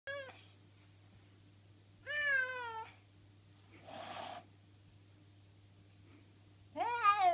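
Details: An unhappy pet cat making harsh, wavering, drawn-out meow-like cries, three of them about two to five seconds apart, with a noisy hiss-like burst between and a steady low hum indoors.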